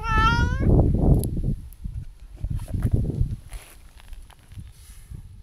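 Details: Tabby-and-white outdoor cat, talkative and affectionate, greeted at New Year: one brief rising meow at the start, then footsteps and rustling dominate.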